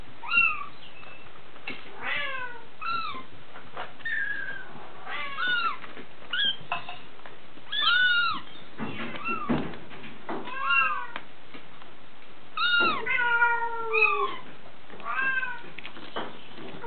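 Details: DeeDee, Bengal kitten aged six weeks, born 13 January 2014, keeps up a steady stream of high, bending meows, often several in a row with short gaps, plus occasional handling noises.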